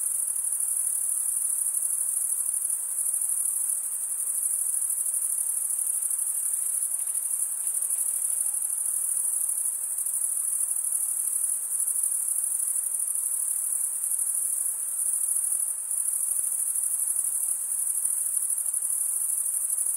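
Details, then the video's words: Chorus of chirping crickets, males stridulating by scraping one wing across the comb-like teeth of the other. A continuous shrill, rapidly pulsed ringing holds an even level throughout, with only slight dips in loudness. "cricket sound"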